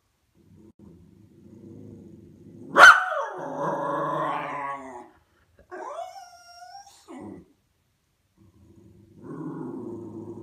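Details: White Miniature Schnauzer perched on top of a sofa, growling and talking at neighbours arriving home: one sharp yip, then a long rumbling, wavering growl, a short whiny vocalisation, and a low growl resuming at the end.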